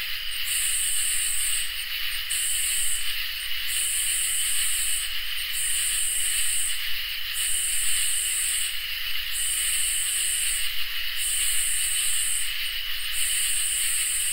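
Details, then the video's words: Summer nighttime chorus of crickets and katydids. A continuous piercing trill underlies a steady train of high, raspy bursts, each about one and a half seconds long and spaced by short gaps, repeating without pause. "Crickets and Katydids in Summer | Ambient Night Chorus"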